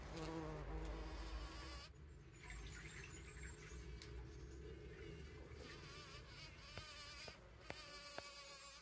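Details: Trail camera recording from 17 June 2023 of bees gathering pollen: a loud humming buzz with a clear pitched tone at first, then a softer drone with a few sharp clicks near the end.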